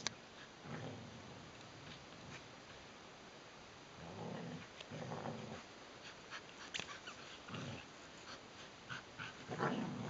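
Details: Neo and Joy, two grown Border Collies, tug at a toy together; throaty growls come in a few separate bursts, with scuffling and light knocks in between.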